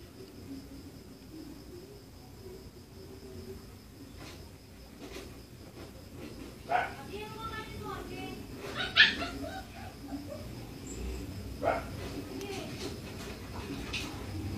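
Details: Aspin dog play-fighting with a Siberian husky companion, the pair named Sofhi and Sabrina. Harmonic whining yelps and a few sharp bark-like bursts cluster mid-recording, over human voices and indoor room noise.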